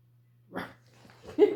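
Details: A female Great Pyrenees livestock guardian dog, indoors, gives two short, deep, husky barks over a low steady hum while being trained to bark on a "speak" command.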